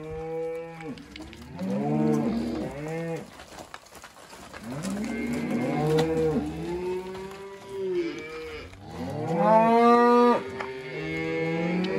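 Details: Red Angus cross cows and calves; several loud drawn-out moos, each rising then falling, overlapping and spaced every few seconds, some deep and some higher-pitched.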